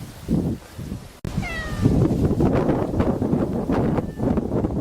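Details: Male grey tabby-and-white cat on Enoshima, Fujisawa, Japan, filmed 7 October 2009 before Typhoon 18 made landfall; one clear rising-then-falling meow with bright harmonics, sounded against a loud, steady rushing roar.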